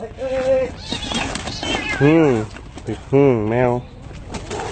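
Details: Mother cat defending her kitten from a dog gives two drawn-out, wavering yowls that rise and fall, over steady background noise and excited Thai speech.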